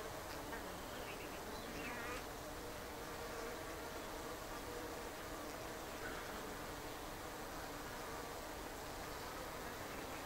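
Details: Japanese honeybees (Apis cerana japonica) in an observation hive on a shed ceiling in Japan, on the third day. A low, steady, quiet drone of many bees runs throughout, with a faint hum band and soft scattered higher rustles.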